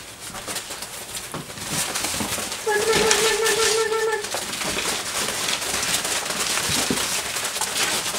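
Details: Doberman puppies, six weeks and five days old, playing together indoors with a flirt pole; one steady, level whine lasting over a second rises above scrabbling paws, thumps and clattering.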